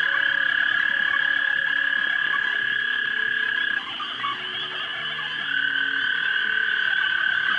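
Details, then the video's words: Pond frogs in a mating chorus at dusk, March 2011, recorded on a 3 megapixel camera: many overlapping trills form a steady high drone that briefly softens in the middle, then swells again, with low pulsing notes beneath. "Frogs Pond Mating March 2011"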